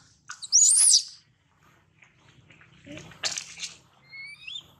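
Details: Young monkey Daniela, stolen from mother Dana, crying out for her; one loud piercing whistled squeal rising and falling, then quieter scratchy bursts and faint thin whistles.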